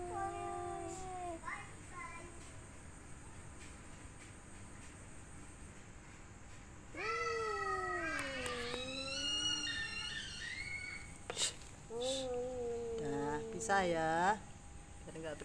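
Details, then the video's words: Domestic cats in mating season, one female among three males: drawn-out, wavering yowls and meows, some sliding down in pitch, others loud and rising in overlapping bursts, with a short gap of near silence midway and faint background music. "Kucing mencari pasangan"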